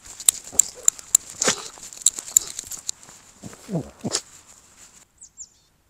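A Shih Tzu gives short, breathy nasal snorts amid light clicks and a faint steady hiss.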